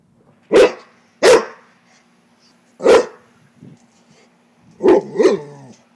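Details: LuLu, a pet Rottweiler that dislikes frogs, barking at a frog: three sharp, deep single barks spaced about a second apart, then a quick double bark, over a steady electrical hum, with a person nearby.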